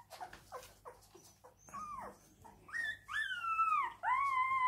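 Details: Siberian Husky crying: a few short clipped whimpers, then long drawn-out whining howls that rise, waver and fall, growing louder and ending in a sustained mournful wail.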